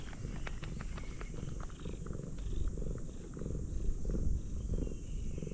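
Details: Orange tabby cat, one of two that came to greet a visitor at a fishing port, purring up close: a low, steady rumbling pulse in rhythmic bursts, with faint clicks and handling noise over it.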